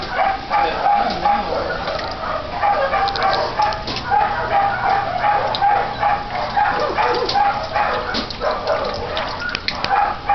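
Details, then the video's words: Sirius, an elderly miniature poodle picked up from the middle of a road and taken to Pet Savers, struggles to drink with a matted lower jaw, giving a long run of thin, even-pitched squeaks over a noisy background. "Sirius - miniature poodle, rescued from road - imbedded matting in lower jaw, trying to drink!"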